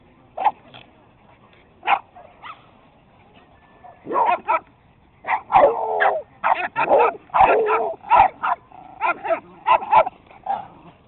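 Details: Several dogs, including beagles, a Boston terrier, a Jack Russell, a chihuahua and a puggle, chasing each other in play: bursts of sharp yipping barks, sparse at first, then dense overlapping volleys.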